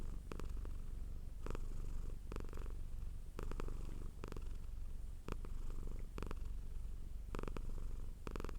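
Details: Pet cat producing a strong, steady purr: low buzzing vibration that holds throughout, with intermittent soft clicks and rustles layered on top.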